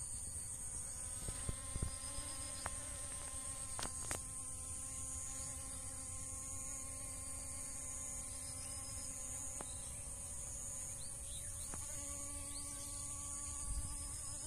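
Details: Bees foraging on dragon fruit blossoms give a continuous low buzzing drone that holds its pitch, with a few short clicks and ticks, beneath a persistent bright high whine.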